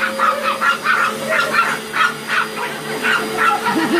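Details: Two Chihuahuas taking on a Hoover vacuum cleaner, yapping in quick high-pitched bursts, about two to three per second, over a steady humming drone from the running machine.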